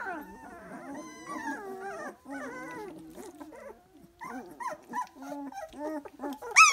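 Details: Whining three-week-old Dalmatian puppies: overlapping wavering cries and short yelps, rising and falling in pitch, with a sharp high squeal at the close.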